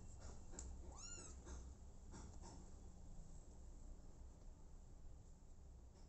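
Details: Brief single meow from an abandoned kitten taken in by mother cat Smokey, a quick high arched cry followed by soft clicks and knocking sounds indoors.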